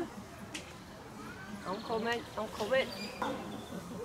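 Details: Captive chimpanzees at Chester Zoo, England, where Dylan hoots after a back kick amid group scuffling; rising, wavering hoot sequence building over about two seconds, with faint background voices.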